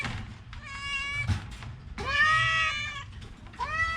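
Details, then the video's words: A sick orange house cat with a cough and cold meows three times: a thin, hoarse cry, then a loud, longer wail rising at the start, then a brief rising meow. A soft thud sounds in between. "Kucing Oren Lagi sakit batuk pilek"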